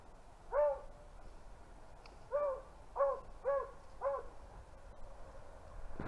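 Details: Distant Beagles on a February rabbit hunt in upstate New York: five short, rising-and-falling bays spaced about half a second apart after an opening call, with faint rustling between.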